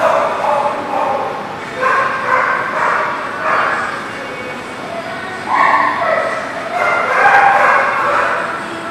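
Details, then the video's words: Dogs at a dog park called The Barking Lot, recorded 15 September 2018; several irregular barks and yips in bursts over steady background noise, with a quieter stretch in the middle. "The Barking Lot"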